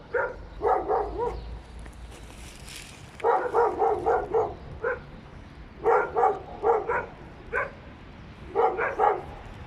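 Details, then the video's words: Three dogs barking inside an apartment building: bursts of sharp, mid-pitched barks in quick clusters of three to five, separated by short pauses, repeated across the stretch with faint indoor background hum. "noise pollution caused by dogs inside the apartment building"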